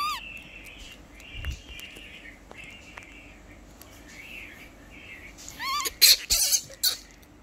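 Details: Lori, a baby monkey, cries loudly during a bath, giving a brief rising squeal at the start, then a burst of sharp upward-swooping cries near the end amid loud splashes and faint steady whistling tones.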